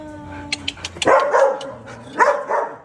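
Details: Two sharp barks or yips, about a second apart, from a Belgian Malinois in the pair Luna and Dax, with faint voices and clicks before them.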